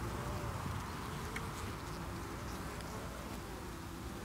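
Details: Hive of honey bees under attack by beewolf wasps in August 2018, the colony defending itself beneath the landing board; a continuous low droning buzz of many insects, slightly uneven in loudness, with brief fainter high ticks.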